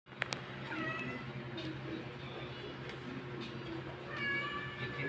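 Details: A Persian cat gives drawn-out, wavering meows while giving birth, over a steady low hum; the owner is unsure whether this is normal.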